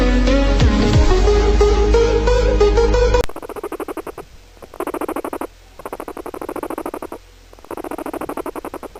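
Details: Guinea pig making fast pulsed chattering bursts, each lasting about a second with short pauses between them, after a few seconds of music at the start.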